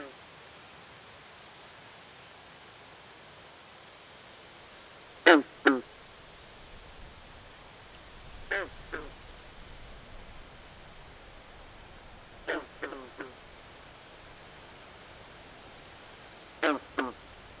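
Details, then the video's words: Frogs in a swamp at night repeat short, raspy, quack-like notes in pairs and triplets separated by several seconds of quiet background noise. "Natural Ambient Sounds Of Frogs At Night"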